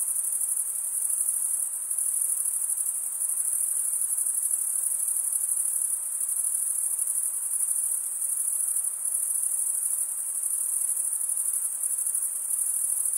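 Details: Crickets in full chorus, a bright sustained high trill made by males stridulating, even in volume from start to finish, a gentle background hiss the only other sound.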